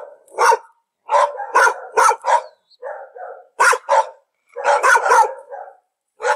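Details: Dog giving rapid, harsh barks in irregular clusters, some softer lower woofs mixed in, short pauses between volleys; quiet background.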